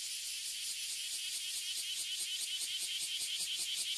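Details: A tree full of Abura Zemi and Kuma Zemi, Oily and Bear Cicadas, in Toyohashi City, Japan, gives a harsh, shrill, rapidly throbbing buzz that stays loud and unbroken throughout.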